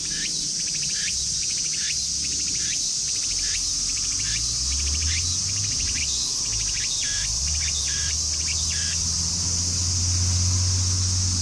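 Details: A cicada in a Japanese park in summer, during the day, sings a quick series of bright, birdlike chirps over a steady high-pitched hiss, then falls silent when approached.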